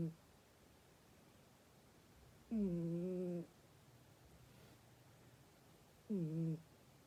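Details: Sleeping cat snoring in a quiet room: two low, droning, slightly wavering snores about three and a half seconds apart, separated by soft breathing and near silence.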